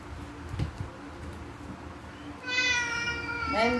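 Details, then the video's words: Domestic cats at breakfast time, fighting while they wait to be fed; quiet room noise at first, then a harmonic meow that rises and holds for about a second, followed by a shorter, bending meow near the end. "A cats fights while waiting for their breakfast"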